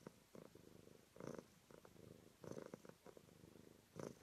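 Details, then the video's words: Close-up purr of a domestic cat from a purring compilation: rattling, pulsed bursts swelling with each breath, about every second, against a quiet indoor background. "Cat purring compilation"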